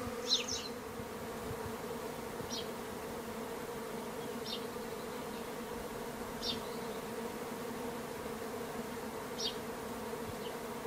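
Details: Garden honey bees swarming in May: a quieter, steady humming drone. Faint, clipped bird chirps sound about every two seconds.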